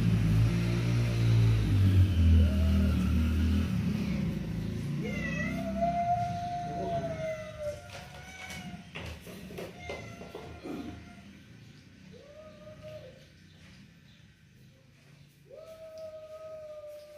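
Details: Mother cat and kitten in an angry situation: a heavy low rumble fills the first four seconds, then several drawn-out, harmonic meows, each sliding slightly down at the end, come at uneven intervals over faint background noise.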